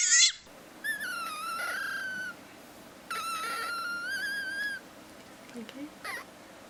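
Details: Captive pet fennec fox making two drawn-out, wavering whining calls, each over a second long and rich in overtones, after a brief harsh burst, with quiet room background between calls.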